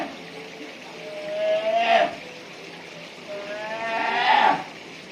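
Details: Young brown bear calling at Noboribetsu Bear Park in Japan; two long whining cries that climb steadily in pitch and swell to a loud, harsher end, spaced about two and a half seconds apart.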